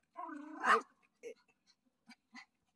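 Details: Dog on a walk meeting its owner, back after a week in hospital; a high, wavering whine with stacked harmonics rises into a sharp bark, followed by a few short quiet yips and soft thumps.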